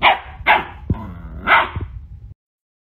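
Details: A dog barks three times in quick succession, short harsh barks about half a second apart, followed by a pause and a softer huff, with some low room noise.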